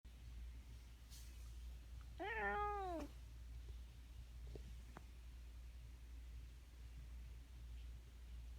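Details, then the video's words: Domestic cat making a strange noise indoors: one drawn-out meow with rich stacked overtones, arching up then falling over about a second, followed by a few faint clicks against a steady low hum. "Strange Cat noises"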